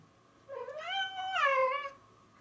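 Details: Female house cat playing happily indoors with a found toy lets out a long, drawn-out meow that rises, holds, then bends downward with a rich, slightly strained tone, over a quiet room background.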